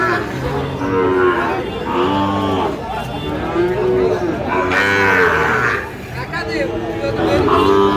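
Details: Sahiwal bull calves at a busy cattle market in Chuadanga, 9 June 2025: several deep, drawn-out moos follow one another every couple of seconds over constant human chatter and bargaining voices.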